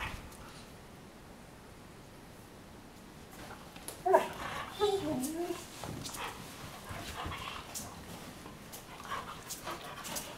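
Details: Weimaraner sisters Jila and Faith from Cyprus wrestle playfully on a bed one morning; after quiet rustling, a burst of wavering whiny growls rises midway, followed by scattered bedding scuffles and a brief later yelp.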